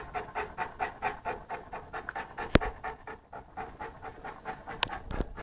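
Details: Saint Bernard named Lara, an 11-month-old puppy, playing with a pygmy rabbit; quick, breathy panting in steady rhythmic bursts throughout, broken by a couple of sharp clicks.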